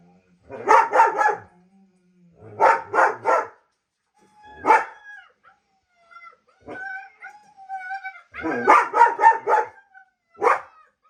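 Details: German Shepherd barking in reaction to the sounds of other dogs: bursts of three to four deep, harsh barks at about 1, 3, 5 and 9 seconds, with a brief music-like tonal passage between them.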